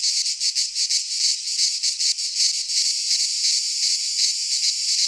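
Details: Pine-forest cicadas in Greece singing at midsummer, first in distinct rapid throbs, then merging into a smoother continuous high buzz.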